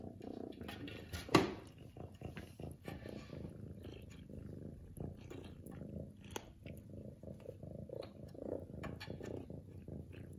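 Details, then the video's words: Lily, a domestic cat, purring loudly and steadily in a low, rumbling drone, with a sharp click near the start and faint rustling and handling noises scattered throughout. "Loudest purring in the world"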